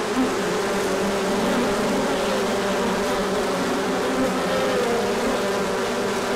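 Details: Many honeybees in a large orientation flight after a colder spell when the sun came out, with pollen coming in; a dense, steady droning hum of many wings, unbroken throughout with faint higher whines drifting through it.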